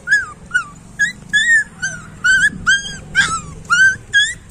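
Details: Whining street puppies produce brief, sharp, upward-curving squeals separated by short pauses, ten or so clear cries in a few seconds over a faint low hum.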